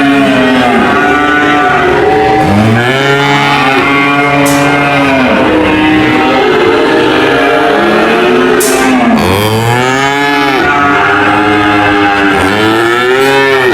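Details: Several cows mooing in turn, long drawn-out harmonic moos, some swooping down then up, with overlapping calls and a few sharp clicks or knocks in the background.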